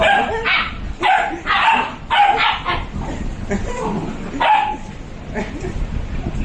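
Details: Two Labradors, Leon and Alester, play-fighting; a run of short, harsh barks and yips in quick bursts about a second apart, with human voices faintly in the background.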